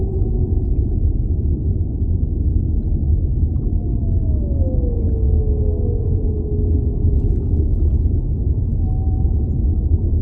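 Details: Underwater whale sounds: a pair of drawn-out descending moans that cross and fade midway, then a brief high steady note near the end, with a continuous low oceanic rumble throughout.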